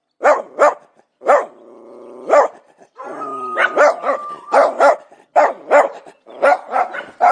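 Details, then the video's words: Dog alternating sharp barks with a drawn-out, steady whining tone in the middle, then resuming quick runs of barks in pairs and short series. "SOM DO CACHORRO, CACHORRO LATINDO"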